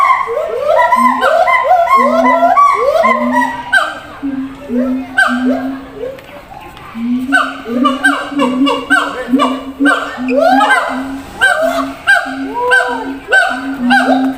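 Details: Caged zoo siamang calling across a distance to others in another enclosure: a long run of rising barking whoops over regular deep booms, pausing briefly midway, then resuming with quick overlapping notes.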